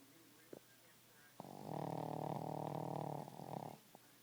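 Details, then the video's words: Princess Peiper, a little 10 lb Boston Terrier, snoring: one long, steady, buzzy rumbling snore lasting about two seconds, followed by a fading tail and a few faint clicks in a quiet room. "Princess Peiper snoring"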